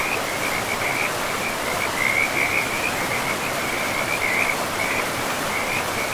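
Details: Frogs calling by a river in a pristine forest, a continuous chorus of rapid pulsed trills near one pitch, overlapping and almost unbroken, over a steady broadband rush of flowing water.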